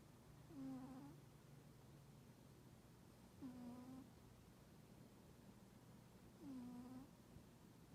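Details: Sleeping domestic cat, described as unfriendly toward people, snoring with soft 'poo-poo' breaths: three short tonal, slightly falling hums with faint overtones, spaced about three seconds apart, over a quiet indoor hiss.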